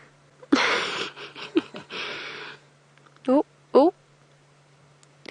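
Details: A leopard, a famous male known as Sindile, gives a harsh, rasping two-second retching cough in ragged bursts, seemingly bringing up a hairball during an afternoon safari drive on 31 August, followed by a man's surprised exclamations.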